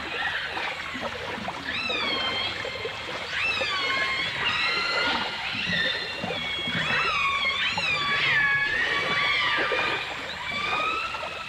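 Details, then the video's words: Several dolphins or orcas, from a 1989 stereo recording, call in a dense chorus of rising and falling whistles, short upward sweeps and drawn-out bright tones, one after another over steady background hiss. "The Enchanting Sounds Of Dolphin Song (Dolphins & Orcas)"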